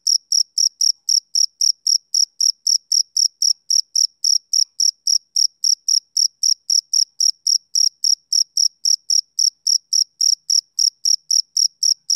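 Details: Male cricket chirping on a summer evening: a clean, high-pitched pulsed chirp repeated steadily about four times a second for the whole stretch, with no other sounds behind it.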